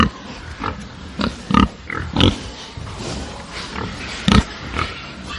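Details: Angry farm pigs: separate harsh grunt-squeals come in short bursts every half second to second, the loudest near the start and end, over a quieter low background of other pigs.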